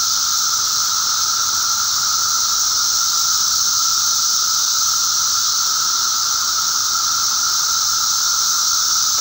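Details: Mass emergence of 13- or 17-year periodical cicadas, recorded May 19, 2011; countless insects merge into one continuous whining drone, a steady tone under a broad high hiss, with no pauses or other sounds.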